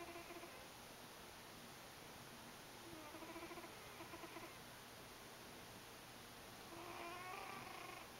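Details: Buddy, a house cat, snoring while asleep in a home office; soft harmonic wheezy snores at about 3 and 7 seconds over steady electronic hiss and a high whine.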